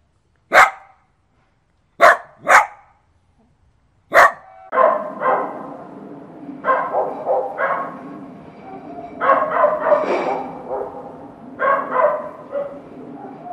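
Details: Dog barking: four sharp separate barks in the first four seconds, then a busier stretch of overlapping barks and yips at varying pitch with background noise.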